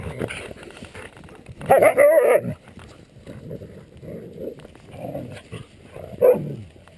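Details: Siberian Huskies, Elaskan and his sister Erin, both three years old, playing roughly in their run: short grumbling, growly vocal bursts, with one louder whining yelp around the middle and a sharp yip near the end.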